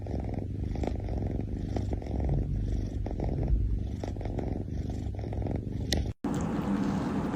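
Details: Kitten drinking milk and snoring, giving a continuous low, throbbing rumble with rapid even pulses, broken by a brief gap near the end.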